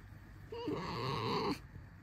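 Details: Squeaky drawn-out whine from Alisa, a cuddly pet red fox, about one second long, a thin tone with a low rumbling undertone, ending abruptly; a quiet indoor setting.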